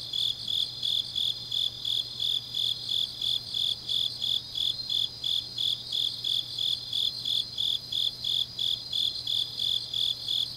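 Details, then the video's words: Grass insects on a deep autumn night in Changnyeong, Gyeongnam, South Korea: steady high chirps, about three pulses a second, over a continuous shrill buzz from other insects and a faint low hum. "깊은밤 가을 풀벌레 소리"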